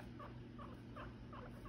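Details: Pet guinea pigs, a father and son who were chasing each other, make short, soft squeaking calls repeated about every third of a second, five in a row, over a steady low indoor hum.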